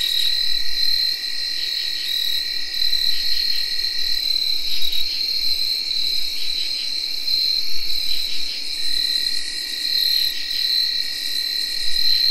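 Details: Constant tree cricket whirr on an early October night in 2021, layered with bright, rhythmic field cricket chirping and intermittent rasping katydid calls in a thick, even insect chorus.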